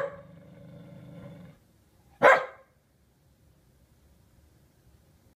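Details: An unhappy Corgi reacting to a new sailboat kite gives a low rumbling growl, then one sharp, loud bark.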